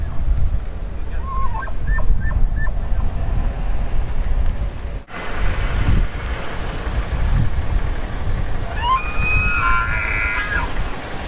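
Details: Elk bugle with a few short clipped tonal notes early on, then a rising high whistled bugle with overtones near the end, all over steady low rumble and wind noise.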